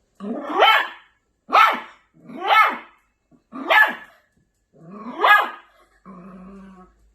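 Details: An angry Maltipoo puppy lets out five sharp, high barks roughly one per second, ending in a low rumbling growl.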